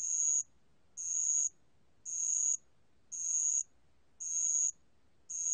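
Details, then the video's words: {'caption': 'High-pitched ringing trills of a bell cricket (알락방울벌레), National Institute of Biological Resources, 2020: half-second bursts separated by pauses of similar length, six in a row, with no other sounds.'} "알락방울벌레, 여러번 듣기, 곤충소리"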